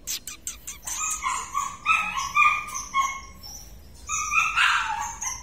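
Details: Purebred large-line Rottweiler; short bursts of high tonal whimpering, rising and falling in pitch, some calls overlapping, with a brief pause before a final loud whine.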